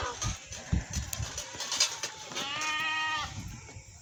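A domestic goat lets out a drawn-out, quavering bleat with a buzzy, nasal tone that holds steady, then fades. Scuffling and low thumps come before it.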